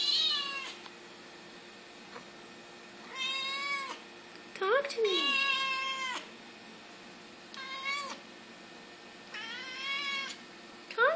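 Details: A black Siamese cat gives a series of long, drawn-out meows, answering its owner, who urges it to talk.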